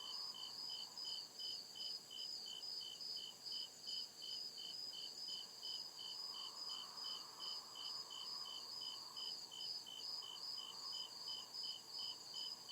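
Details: Crickets calling in deep woods after dark, bright rhythmic chirps about two and a half per second stacked in two high bands, plus a gentle murmuring hum that swells midway through.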